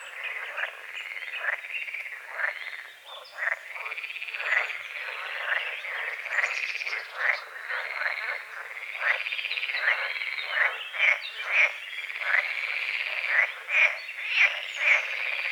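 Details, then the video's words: Frogs croaking at dawn over a small lake on the forest edge, a chorus of short rattling croaks repeated roughly once a second, overlapping and uneven, with faint bird chirps above. "The sounds of morning frogs croaking"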